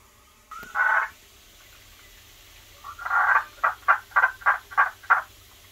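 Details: Several captive tree frogs in an indoor jungle enclosure with automated rain, waterfall and heated pond. One short croak is followed after a pause by a drawn-out note that breaks into about seven rapid, evenly spaced clucking pulses.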